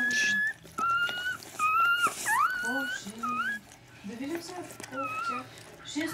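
Newborn Siberian Husky puppy giving thin, high squeals that rise and fall, with people talking nearby.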